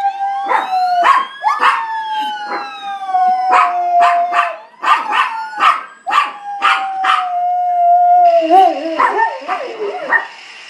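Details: Pet dog howling in response to a fire truck siren. Rapid, irregular yelping bursts ride over a long, steady, slowly falling siren tone. Near the end the siren turns into a fast warbling wail.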